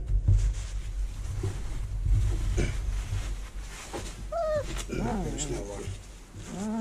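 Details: Vizsla puppies in their whelping box, early October 2020, while it is cleaned. Thin, wavering whines rise and fall in the second half. Low rumbling and voices are heard earlier.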